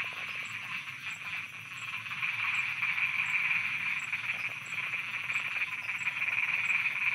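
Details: Thai frogs calling after dark in an unbroken, rattling chorus of quick repeated notes that grows a little louder after two seconds and holds steady, with a faint rhythmic high ticking running throughout.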